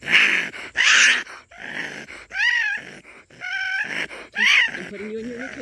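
A raccoon growls in harsh, breathy bursts that break into wavering, whiny squeals.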